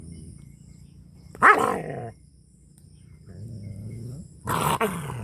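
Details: Angry dog in a rural Punjab village in Pakistan: low, rumbling growls with two sharp, loud barks about three seconds apart.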